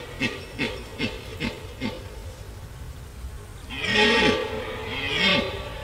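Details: Rutting red deer stag at Gemenc, Hungary, giving a series of five short, deep grunts about every 0.4 seconds, then a pause and a long, loud, rasping roar that swells and fades, against low background rumble.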